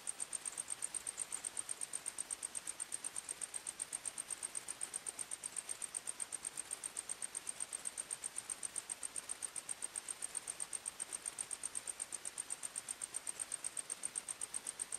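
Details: Crickets at night in a forest, heard as a thin, very high, fairly faint chirp pulsing about four times per second, steady throughout, over a broad hissing background.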